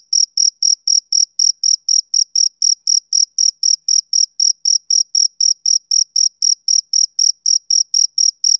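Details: A male cricket chirps on a summer evening, its clear, shrill pulses coming at a regular pace of about four per second, with nothing else audible.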